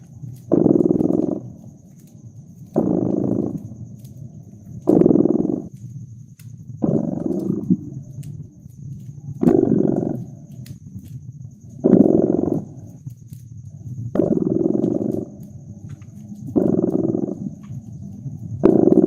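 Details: A purring cat by a crackling fireplace, cozy winter mood: rhythmic low vibrating rumbles, nine bursts in about nineteen seconds at a steady breathing pace, small fire pops and a faint high hiss underneath.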